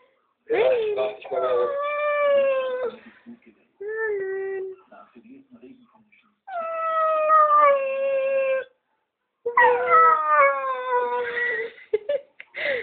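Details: Dogo Argentino named Merlin howling indoors: long sustained tonal howls, each two to three seconds and gently falling in pitch, in three main bouts separated by short pauses, with a briefer lower note between the first two.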